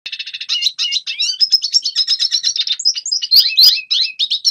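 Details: Red siskin song played for training young birds to sing: a rapid, high, twittering chatter of short notes that starts as an even stutter, then breaks into varied whistled trills and sharp rising squeaks near the end.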